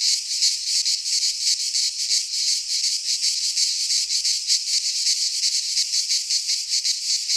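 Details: Greek pine-forest cicadas in midsummer produce an unbroken, piercing buzzy chorus, pulsing quickly and unevenly in loudness, with no birds or other sounds.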